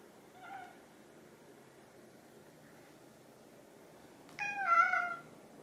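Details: Pet cats Chai, an orange tabby, and Sushi, a silver tabby, asking for food when hungry indoors; a soft faint meow early, then after a pause a louder, longer harmonic meow near the end.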